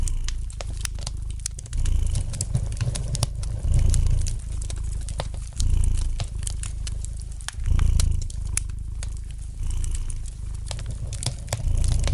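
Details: Relaxed house cat purring next to a crackling hearth fire; a low, even rumble pulses louder roughly every two seconds, matching inhale and exhale, while brisk pops and snaps of the fire sparkle above it.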